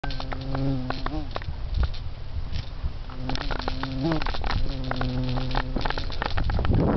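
A bee drones past in steady, low buzzing bursts that waver slightly in pitch.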